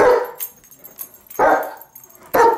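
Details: A female German Shepherd gives three loud, deep barks spaced about a second apart, barking at video of herself on the TV.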